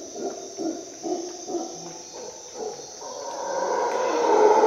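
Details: Howler monkey at dawn in a Costa Rica jungle: a series of low, throaty grunting pulses, then a swelling continuous roar that grows louder toward the end. A steady high insect drone runs through the whole recording.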